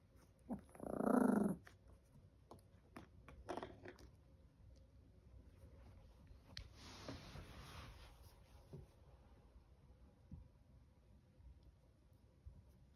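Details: Seven-month-old Chihuahua giving one short, loud, harsh bark near the start, then a softer second yelp a few seconds later, followed by a long hissing rustle and quiet scattered clicks and low grumbling noises.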